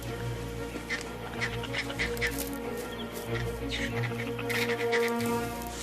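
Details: A troop of vervet monkeys in forest near Lake St. Lucia, Africa, chatters in harsh, rapid alarm calls from the trees at a large forest cobra climbing up, over steady background music.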